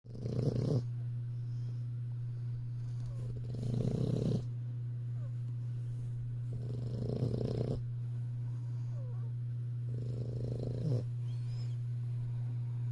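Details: English Bulldog. A young English Bulldog snores with coarse, rasping breaths that swell and fade roughly every three seconds. A steady low hum runs underneath throughout.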